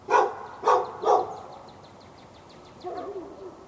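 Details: Backyard dog on a February 2012 day in Raleigh, North Carolina, barking for hours at a neighbouring dog: three loud harsh barks in quick succession, then a softer distant bark, with a series of small bird chirps in the background.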